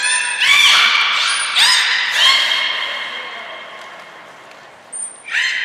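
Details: Captive belugas (Hodoi, Taanya, Mirai) being moved between pools and trained at Nagoya Port Aquarium, 14 March 2021. Loud reverberant squeals with rich harmonic stacks, some with bending pitch, then a short high tone and another squeal.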